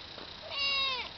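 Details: A domestic cat gives a single clear meow, rising then falling, lasting about half a second, with strong harmonics over a quiet background.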